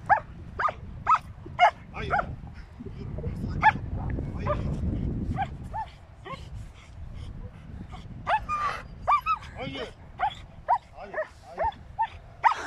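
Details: German Shepherd Ramiz barks while standing up to a large cow. Short, irregular barks come in bursts. Between them are human speech and a stretch of low rumbling noise.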